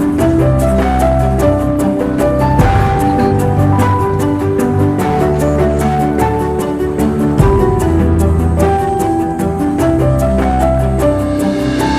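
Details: Steady instrumental music with a low pulsing beat plays throughout, and no animal sounds are heard.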